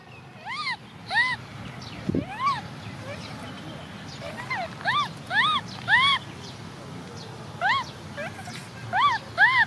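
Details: Baby Cola, an orphan female macaque, cries because she wants to ride a bike: a run of arched, tonal wails rising then falling, given in short bursts with irregular gaps, some in quick pairs, over a low background hum.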